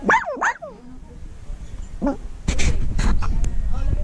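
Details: Small Shih Tzu–Maltese mix dog giving two quick rising-and-falling yelps and a later brief yip, followed by loud broadband rustling and handling noise.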